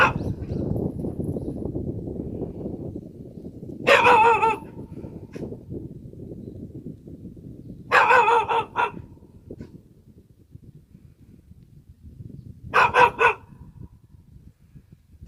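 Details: Korean country dog barking in short bursts of several rapid, rough, harmonic barks. Each burst lasts about half a second and recurs roughly every four to five seconds, with a steady low rumble of wind or background noise between bursts.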